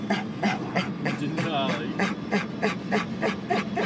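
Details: Denali the dog pants excitedly during a car ride, hoping to go to the dog park and now heading to the river; rapid breathy pants come about three times a second, broken briefly by a person talking.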